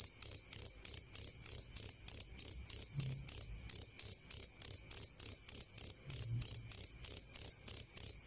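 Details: Cricket chirping loudly and clearly, kept as training sound for songbirds and for sleep; rapid pulsed chirps about every quarter second with a steady high ringing tone and overtone, low faint thumps beneath.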